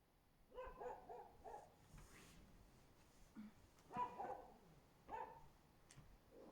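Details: Husky barking below a window on 24 February 2024: three short bursts of quick barks, the first a run of four or five, the later ones briefer, over faint background hiss.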